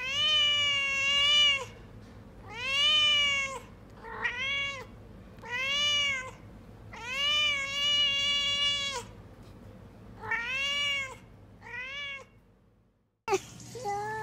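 A domestic cat gives a string of drawn-out, arching meows, each rising then falling in pitch.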